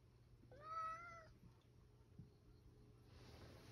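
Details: Rescued male house cat asking to go outside after sharpening its claws on a shoji screen and waiting for the grandmother it lives with. It gives one clear, tonal meow lasting under a second, followed by quiet indoor stillness and faint hiss.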